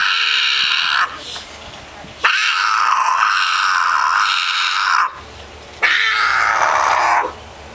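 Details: Female cat in heat caterwauling loudly indoors: long drawn-out wailing yowls of one to three seconds each, three in a row with short gaps, strained and nasal, with a person's voice faint between them.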